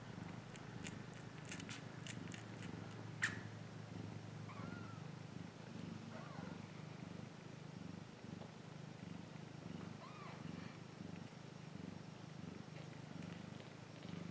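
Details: A cat's soft, low purr runs underneath, with a burst of sharp clicks early on and a few faint high chirps later.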